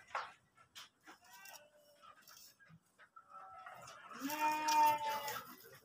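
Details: Kacang goat, pregnant, penned at Tanjungjaya in Subang, Indonesia. Faint voices and clatter come first, then a single quavering, harmonic bleat lasting about one second near the end.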